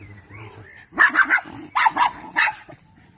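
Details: Parson Russell Terrier on a weekend in Styria, barking in a sharp, loud burst: three quick barks, a short pause, two more, then a final single bark, with faint murmuring before.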